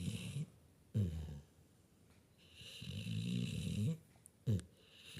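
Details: A sleeping puppy snores in low, rumbling breaths, each drawn-out rasp lasting about a second with quiet gaps between, plus a couple of short sharp snorts near the end.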